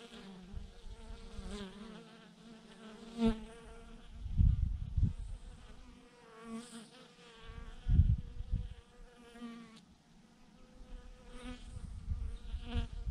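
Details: Thousands of honey bees hanging on a branch in one massive clump produce a sustained, humming drone, broken by recurring deep thumps and rumbles every few seconds.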